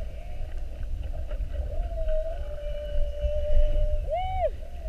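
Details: Underwater whale sound from an hour-long mugging, whales spy-hopping around a boat on a 7:30 whale watch, 21 February 2019: a long, steady, mid-pitched hum holds for seconds, then a short arched whoop with bright overtones near the end; low water rumble beneath.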